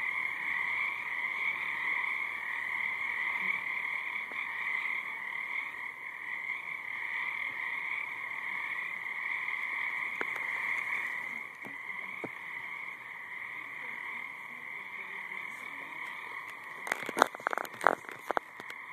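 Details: A frog chorus forms an unbroken, even droning trill over a quiet background, with a short burst of sharp knocking sounds near the end.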